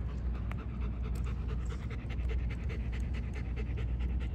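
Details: German Shepherd dog, one of a pair fed raw chicken with bones, panting rapidly in quick, even breaths about five per second over a steady low rumble, no voices during the panting.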